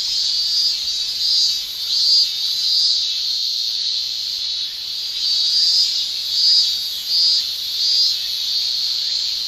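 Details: Male cicadas shrilling in a Japanese summer, tymbal song: a dense, high, hissing buzz that swells and fades in waves, with brighter surges roughly every 0.7 seconds over a steady drone.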